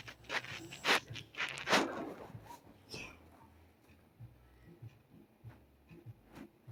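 A Shih Tzu snores with a few loud, raspy snorts, then softer rhythmic breaths.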